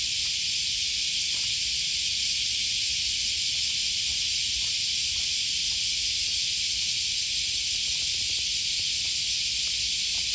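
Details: Cicadas sing along the Okawa River near Sakuranomiya Park in Osaka, Japan, on an August 2020 morning: a constant, even, high sizzling drone, with soft scattered ticks and taps from the walk.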